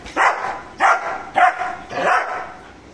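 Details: Aggressive guarding barks from Mr. Bro, a German Shepherd: four rough, forceful barks spaced about half a second apart, the last one longer and more drawn out, over a low background hiss.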